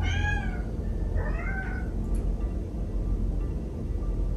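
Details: A white cat with one blue and one green eye, reacting to an invisible wall of cling film, gives two short meows, the second bending upward then down, over a steady low indoor rumble.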